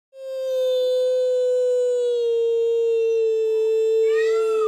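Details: Eight-week-old captive wolf pups being socialized at a zoo discover their first howl: a single steady, clear tone with rich overtones, held for about four seconds, ending in a brief wavering break.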